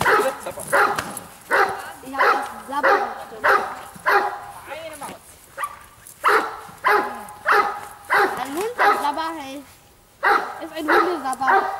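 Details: Giant Schnauzer Bayuma, registered as Blackmoore Radinie, barks in loud, deep, harsh bursts about every half second to second, with a brief pause near ten seconds; a human voice is audible between some barks.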